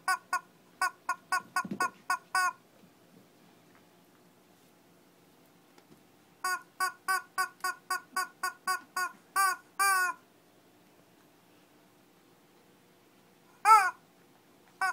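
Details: A Shih Tzu in Kochi, Japan, in a mini fight. Bursts of short, bright yaps come in runs of about a dozen, split by long quiet gaps, and one drawn-out bark near the end.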